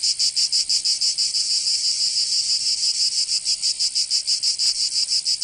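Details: Cicadas singing in summer in Provence, southern France: a dense, loud buzzing chorus pulsing about three times per second, steady and unbroken, with no other sounds.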